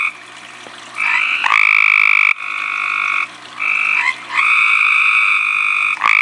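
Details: A tree frog calls at night from close range, loud high steady trilled notes in long bursts separated by brief pauses.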